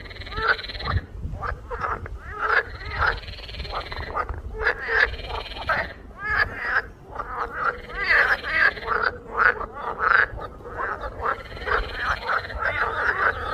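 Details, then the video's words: A chorus of frogs gives repeated harsh, buzzy croaks, with long grating notes mixed among quick stuttering ones and calls overlapping almost without pause, above a steady low hum. "hear the sound of the frog"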